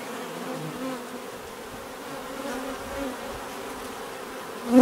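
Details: Many bees buzz in a soft continuous drone with overlapping low hums, fairly even throughout until a louder close buzz swells at the very end.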